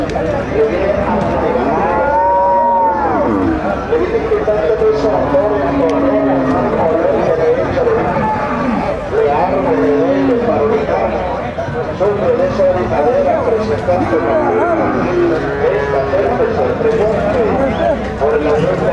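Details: Several Gyr cattle at El Salvador's Tiangue cattle market call again and again, short arched lowing moos rising and falling every few seconds, half-buried under a steady crowd of voices.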